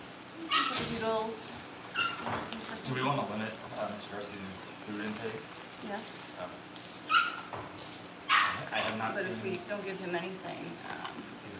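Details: Cavalier King Charles Spaniel puppies in a family home ahead of pick-ups: short high yips and whiny whimpers come in scattered bursts, with people talking and household clatter around them.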